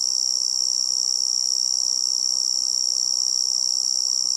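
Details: Tree cricket, forest insect sound: a constant piercing high trill, pulsing rapidly and evenly without breaks, above a quiet bed of low hiss.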